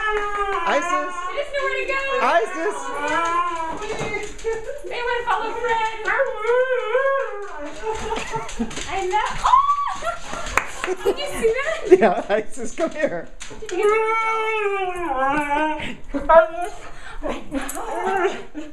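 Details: Talkative Siberian Husky going crazy when the other husky's name is called, excited greeting after owners' vacation, indoors; repeated rising-falling woo-woo phrases in quick series, pauses, then more, with people egging it on.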